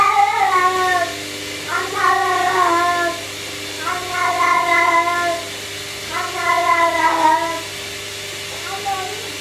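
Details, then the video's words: Tiggy, a pet cat, talks to the washing machine: a series of long, wavering, drawn-out meows, five in about nine seconds, each lasting around a second, over the steady low hum of the running machine. "Tiggy the talking hello Cat talks to the washing machine"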